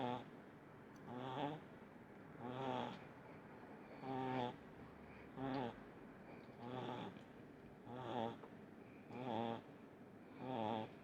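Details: Little pug Munichka, sound asleep, snores rhythmically: nine rasping, buzzy breaths over eleven seconds, about one every 1.3 seconds, fairly steady in loudness, over a soft room hiss.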